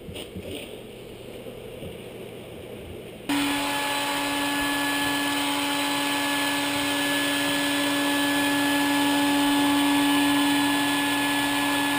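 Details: Quiet room noise gives way to a loud, steady mechanical drone with a constant whine, and no animal sound is heard.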